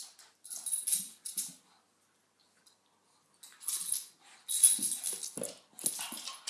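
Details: A black Miniature Schnauzer playing with a Shaun the Sheep toy gives breathy, snuffling growls and huffs in short noisy bursts, with pauses between.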